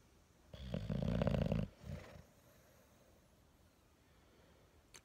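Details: On waking in the morning, an English Bulldog gives a deep, raspy, buzzy snort-groan lasting about a second, then a shorter, quieter grunt, followed by near silence apart from a faint click.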